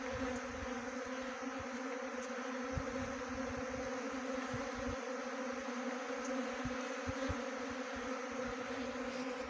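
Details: Honey bee swarm being trapped at Khokti Marlau, Chakrata, Jaunsar Bawar, Dehradun, Uttarakhand, India; a steady, dense droning hum with a strong low fundamental and layered overtones, unbroken throughout, with scattered soft low thumps and clicks beneath.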